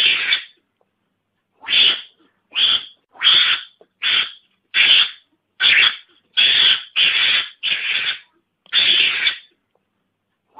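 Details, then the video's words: Lure call for mongoose: about a dozen harsh, breathy, spitting bursts at uneven intervals of roughly half a second to a second, after an early longer pause, with no other sounds. "Suara pikat garangan ampuh"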